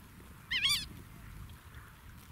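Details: A young gelada playing in the Simien Mountains, Ethiopia, gives one brief, wavering, nasal squeal against a soft background hush.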